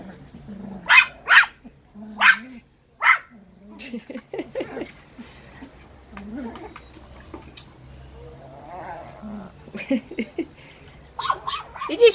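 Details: Playing Russian Toy puppies let out a quick series of shrill yaps early on, then softer whines and small growly grunts, before a few more high barks near the end; a woman's voice and other household talk are heard between the calls.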